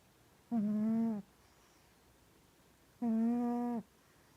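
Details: Mya, a pet cat sleeping and dreaming, snores with two even, tonal, humming breaths of under a second each, roughly two and a half seconds apart, in a quiet small room.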